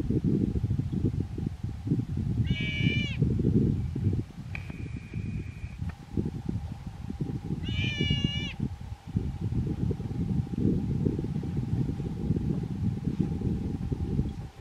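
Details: Wild sea otter, one of a pair in its kelp patch at Little Waterfall Bay, Afognak, Alaska, screaming at an anchored boat while circling and showing teeth: two shrill, wavering high-pitched screams like a distressed baby's cry, over loud wind rumble.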